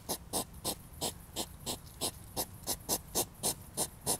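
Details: Rhythmic huffing from a European hedgehog in a fight while mating: short, breathy snort-puffs repeated roughly three times a second in an even, pumping pattern. No other sounds are clear.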